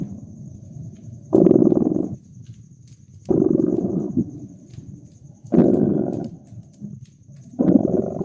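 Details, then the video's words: A cat purrs by a crackling fireplace in a cozy winter scene: four loud, buzzing purr phases returning about every two seconds, alternating with softer low rumbles, plus occasional crackles from the fire and a thin high tone. "Relax with Purring Cat and Caracking Fireplace"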